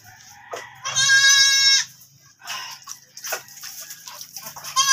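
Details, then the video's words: Goat that has given birth again, giving one long, loud, wavering bleat of about a second, followed by softer broken bleats and rustling. "NANGANAK NA NAMAN ANG ATING KAMBING."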